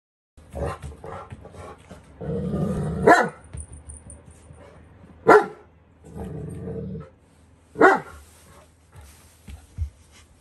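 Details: Newfoundland named Riku, a rescued dog from a public health centre, play-biting gently after being teased while she was playing. Low rumbling growls come in two longer bursts, broken by sharp short cries and scuffling sounds.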